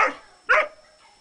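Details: Male dog barking on a hot summer day, afraid of a small pool set up to cool him: two short, sharp barks about half a second apart, the second louder, in a quiet setting.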